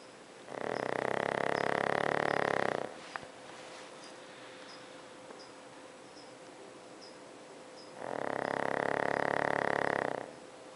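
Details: Pug sleeping at night, snoring: two long, loud rasping breaths about five seconds apart, each lasting some two seconds, with quiet room hiss between them.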